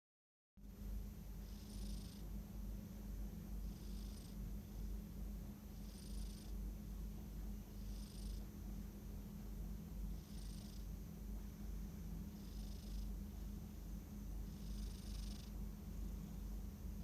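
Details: Sleeping domestic cat snoring softly, each airy, hissing breath repeating about every two seconds, over a steady low electrical hum.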